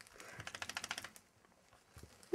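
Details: Welsh Terrier puppy hiding under a wardrobe indoors, growling in a rapid rattling train of about a dozen short pulses over one second, then fading to quiet shuffles in a small room.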